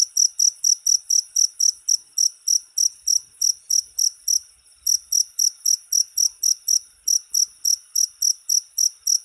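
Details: Cricket, offered as a rat-repelling sound: shrill, high-pitched pulsed chirps repeated steadily about four times a second, with a short pause near the middle and a faint low rumble underneath.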